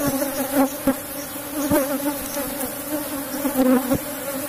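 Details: Steady drone of a strong cultivated Asian honey bee colony opened for harvesting honey, a close, even hum with a bright overtone band and a few sharp taps.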